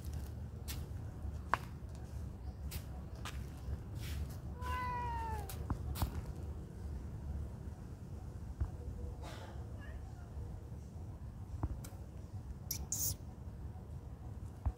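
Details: Friendly cats living at a pagoda; a single clear, drawn-out meow that rises then falls, sounding partway through, set against steady low rumble and scattered sharp clicks and taps.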